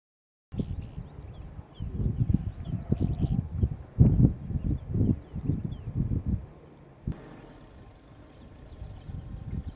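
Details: Wild lions of the Shish Brothers coalition, Casper the white lion with Mfowethu, Casanova and Footloose, west of Nsemani Dam, Kruger National Park, South Africa: deep pulsed roaring grunts about once a second, small birds chirping, steady high hiss.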